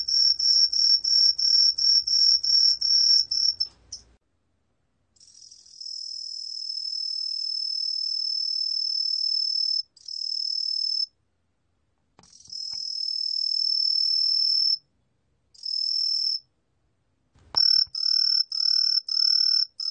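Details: Truljalia hibinonis tree cricket singing in a 2020 recording: rapid high ringing pulses, then a long unbroken shrill trill, broken by silent gaps and short bursts before the pulsed chirping resumes.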